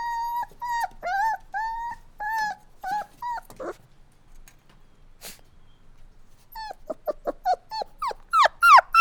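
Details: Crying puppies: a run of short, clear, high whimpers, a quiet pause of a few seconds, then rapid sharper yelping whines that grow louder toward the end.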